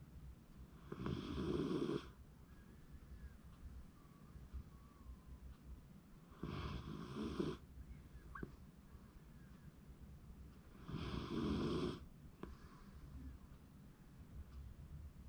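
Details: ['A sleeping Shiba Inu, filmed January 2024, snores in three loud, rasping breaths about five seconds apart, each lasting roughly a second, with quiet low room hum between.']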